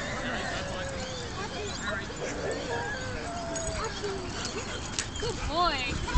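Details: A dog playing at a dog park squeals after a head-on collision with another dog. Brief, high, arched yelps come near the end, over outdoor background noise and people talking.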